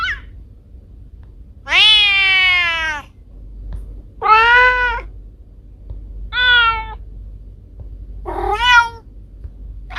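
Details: Domestic cats Kiko and Koko, recorded at home: four distinct meows roughly every two seconds, the first long and slightly falling, later ones shorter and brighter, separated by quiet gaps with a soft background hum.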